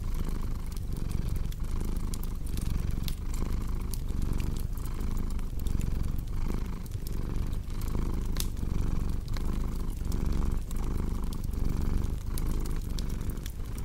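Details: Cat purr as a low, continuous rumble with a regular breathing rhythm, partly masked by dense sharp crackles and snaps of a burning fireplace throughout.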